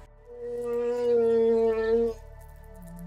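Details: At the Kermadec Islands northeast of New Zealand in the South Pacific, a hotspot for whale song, a humpback whale sings a long, steady moaning tone that holds level, then drops to a lower groan.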